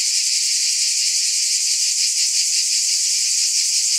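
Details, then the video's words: Unrelenting high buzz of cicadas, a bright hiss with a subtle wavering pulse about three times each second and steady volume, heard alone without other sounds. "Mmm! Scintillating Cicadas"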